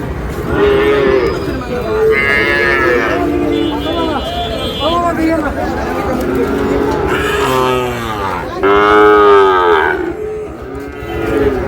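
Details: Sahiwal bull calves at a cattle market in Noakhali, Bangladesh, where a farmer buys them; several overlapping moos and bawls rise and fall over steady crowd chatter and market bustle.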